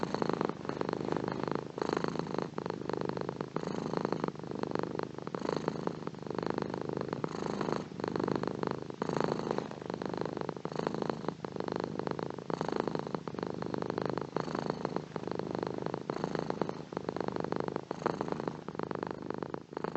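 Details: Continuous purring of a domestic cat, a low vibrating rumble that rises and falls with each breath, roughly every second, steady throughout with nothing else audible.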